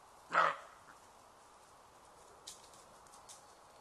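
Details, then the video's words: A roe doe utters one short, hoarse bark near the start, followed by a long quiet stretch with faint rustling and a couple of soft distant knocks. "Roe Doe barking"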